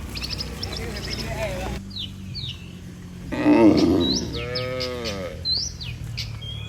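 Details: Tame cattle, one of dozens heading back to their barn from the pasture, let out one loud, harmonic moo that falls slightly in pitch. Birds chirp and tweet before and after it.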